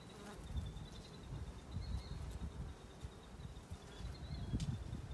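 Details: Western honey bees foraging for nectar and pollinating flowers hum with a low, steady wing buzz that swells and fades as they pass.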